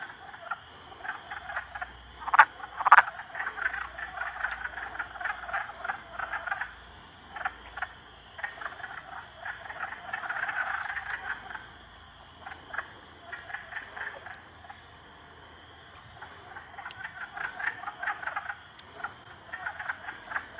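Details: A frog trio ganging up on a salamander. Continuous rough, pulsing croaks with two loud early calls, a swelling buzzy stretch in the middle, a brief lull, then the chorus builds again.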